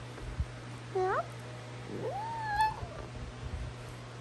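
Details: Meowing Basenji dog, a call this breed tends to make on first waking in the morning as greeting and yawn: a brief rising squeak, then after a pause a longer whine that climbs and levels off, over constant low hum.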